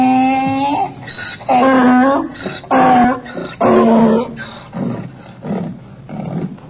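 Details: Donkey bray with wavering, groaning honks that rise and fall in pitch, repeated about once a second and growing fainter and breathier toward the end.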